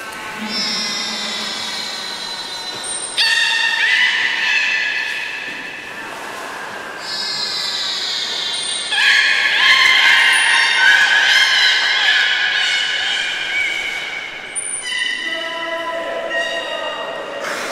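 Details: Captive belugas Nana and Hodoi at Port of Nagoya Public Aquarium, 11 August 2018, during an unsuccessful pool swap. Nearly continuous rich, nasal, harmonic squeals and whistles shift pitch in overlapping bursts, with occasional high pips.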